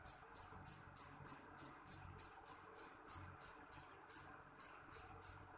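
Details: Shrill chirping of a jangkrik jeliteng cricket, a rapid steady train of crisp high pulses, a little over three a second, with one short skipped beat near the end.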